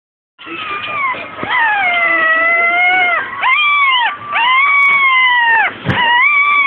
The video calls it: Papillon puppy howling at weeks old